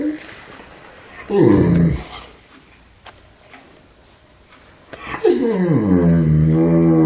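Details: German Shepherd named Chowder, indoors in a small room, making his so-called purring noises: a short, moaning, harmonic groan that slides downward, then a quiet pause with faint rustles, then a longer, rising-and-falling grumble that runs to the end.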